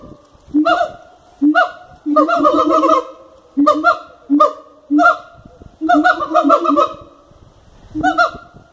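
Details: Captive siamangs at Cotswold Wildlife Park giving loud, booming honk-like hoots in clustered bursts, a few longer rapid sequences of barking notes between short single calls.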